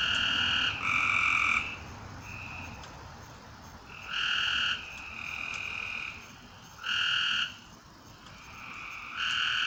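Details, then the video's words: Night frogs giving loud, grating trilled calls in bursts under a second long, spaced a few seconds apart, with quieter callers droning steadily in between. "A Strange Night Sound? And Frogs!"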